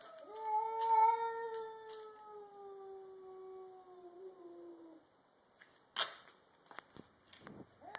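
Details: A domestic cat, one of two cats (a grey-and-white stray and a black cat) in a garage about to fight, gives a long, wavering yowl that slowly falls in pitch, a threat before a fight.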